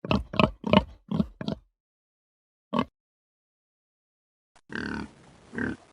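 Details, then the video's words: Farm pig giving a quick run of five short, rough grunts in under two seconds, then a lone grunt after a pause, followed by a longer noisy, breathy stretch with two louder swells near the end. "Animal sounds. High-quality sounds of farm animals. Donkey, chicken, goose, pig, horse, cow..."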